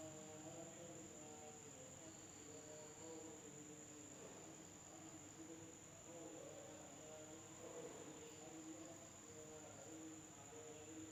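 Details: Night insects in an Indonesian village keep up a constant shrill, high ringing drone, with softer warbling lower tones drifting in and out beneath it.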